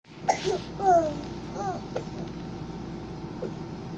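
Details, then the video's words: Napping cat making cute little noises: a soft squeak, then a few short, wavering, descending chirps close together in the first two seconds, followed by quiet faint clicks in a small indoor room. "Cat nap 10-19-2020...such cute noises"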